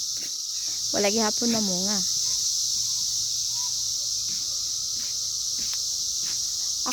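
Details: Cicadas out in the 2021 emergence year, a steady high-pitched buzzing drone holding without a break through the whole stretch, with a short burst of human talking near the start and faint clicks.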